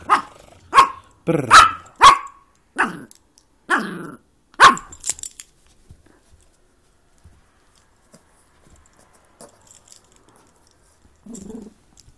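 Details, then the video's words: Yorkshire Terrier at play with its ball, letting out a quick run of about seven sharp, yappy barks in the first five seconds, then mostly quiet apart from faint voices. "Yorkie barking and playing"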